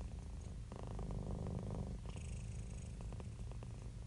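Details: Contented domestic cat purring, a low vibrating rumble of quick pulses, one fuller inhale phase then a breathy exhale with faint hiss.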